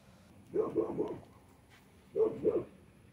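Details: Cattle Dog and Great Pyrenees mix puppy, almost seven months old, in hot weather in Texas: two short bursts of mid-pitched yapping barks, three quick barks then two more after a pause, over a quiet background.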